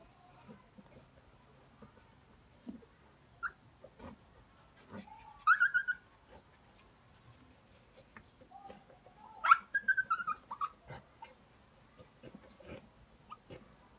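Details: Jack Russell Terriers out hunting give high, strained whining yelps that rise and waver, in two strong bursts about four seconds apart, with scattered softer whimpers and rustling between them.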